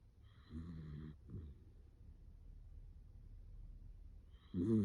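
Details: Sleeping Dachshund moving from heavy nasal breathing into human-like snoring: a low, rough harmonic snore, a brief snort, then quiet breathing before a louder, deeper snore rises at the end.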